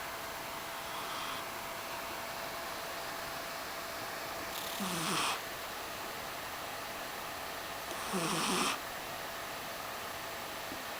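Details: Mysli, a sleeping cat, snoring: two raspy, breathy snores about three seconds apart, each a low rumble under a hissing breath, against a steady quiet room hiss.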